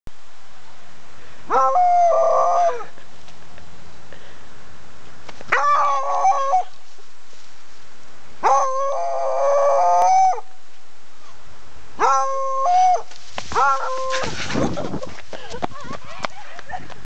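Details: A Beagle howling at people walking past; four long, drawn-out baying howls, each lasting one to two seconds with a wavering tone, separated by pauses of about two seconds, followed by a brief burst of noise near the end.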